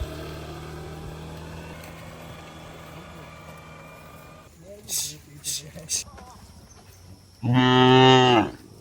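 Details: Cattle herded home to the shed through heavy rain in the countryside: after a long stretch of low rumbling hum and a few sharp clicks, one full harmonic moo sounds for about a second near the end.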